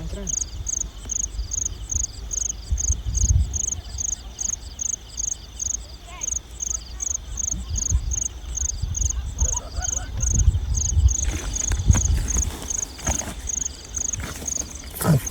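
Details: Field crickets at night in the rural rice-field countryside, where they are being caught by hand: a steady, high, rapid chirping of evenly spaced pulses, about three per second, with faint voices and louder rustling handling noise near the end.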